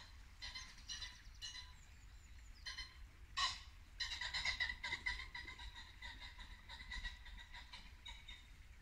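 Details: Muntjac deer barking at dusk in Norfolk woodland in late winter, a few sharp barks in the opening seconds, then a dense stretch of overlapping calls, likely pheasants and birdsong, over a babbling brook.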